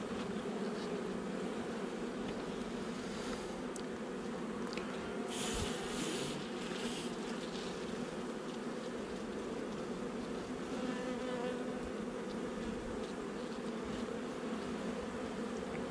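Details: Honey bee nuc colony, installed about a month before, humming continuously during a hive inspection on 8 July 2020. Clicks and knocks from handling break in around five to seven seconds.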